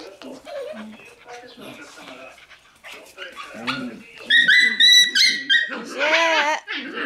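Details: Shiba Inu puppies, in a group with a black Shiba, give high, wavering whines and short yips, with a person talking throughout.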